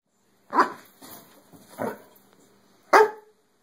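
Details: Dog barking indoors at a whole cow hoof, three sharp single barks plus a softer huff, irregularly spaced over about two and a half seconds, in a quiet room.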